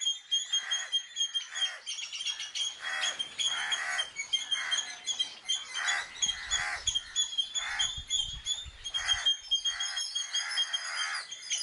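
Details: An Indian palm squirrel gives rapid, shrill chipping alarm calls in repeated bursts, calling loudly when danger comes to distract the enemy's attention.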